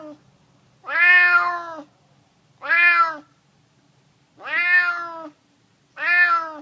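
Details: A stray tomcat begs for food with four long, drawn-out meows, each nearly a second, repeating about every two seconds in a quiet setting.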